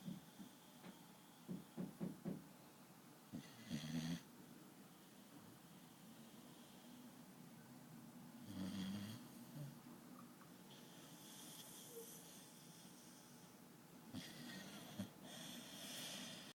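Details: Biggs, a pet dog, asleep and snoring loudly like a grown man: rough, low rattling breaths in uneven bursts, with louder snorts around the fourth and ninth seconds and fainter wheezy exhales between.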